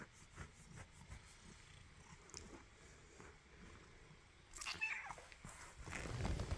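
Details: Tabby cat sneezing: after a few quiet seconds of soft background rustle, a sudden sharp breathy burst, then a second louder noisy burst closes the clip.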